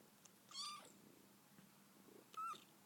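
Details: A young female kitten yawning gives two brief, bright squeaks, thin and rising slightly, separated by nearly two seconds of quiet with only a soft low background hum.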